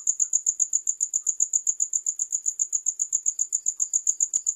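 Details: High, ringing cricket chirps pulse in a regular beat of about four per second, bright and unchanging, ending with a small click.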